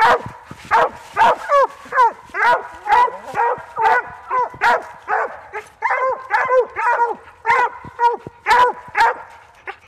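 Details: Treeing Walker and Plott English cross coonhound giving rapid, steady barks with yelping, bending pitch, roughly two per second across the whole stretch, loud and continuous with no other clear sounds.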